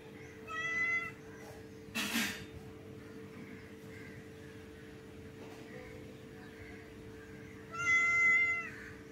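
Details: Hungry cats eating fish: two clear harmonic meows, a short one at the start and a longer, slightly wavering one near the end, with a sharp rustle between them and a steady background hum.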